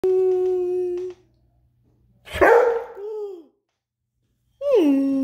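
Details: Rhodesian Ridgeback dog indoors, wanting to play and vocalising a lot: a held moaning howl, then a rough bark that trails into a whine, and another rising-falling howl with a yodelling bend.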